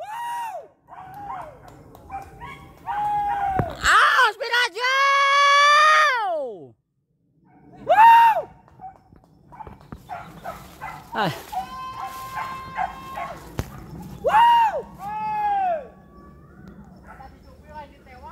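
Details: Village dogs baying while chasing wild boar on a hunt, with many boar scattering: repeated arched yelps and long wavering howls, one rising into a sustained cry, spaced irregularly among shouts and talk from hunters.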